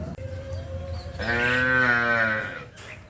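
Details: Tame village cattle heading out to green pasture in the morning in the countryside. A low rumble gives way to one drawn-out, harmonically rich moo of about one and a half seconds that rises slightly and then fades.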